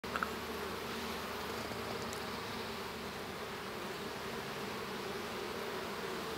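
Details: Honey bees inside a hive at the moment a young bee hatches; a steady, dense droning buzz of many bees with a low humming band running throughout and a faint brief tick near the start.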